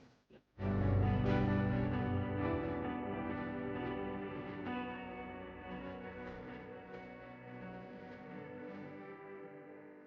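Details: Sustained distorted electric guitar music with echo, with no animal sounds. After a brief silent start, a dense, ringing chord swells and slowly fades over the rest of the passage.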